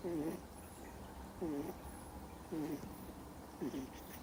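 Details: A two-month-old Miniature Schnauzer puppy snores in deep sleep indoors: four squeaky, whistled breath tones, each dipping then rising slightly, spaced about a second apart over quiet room hiss.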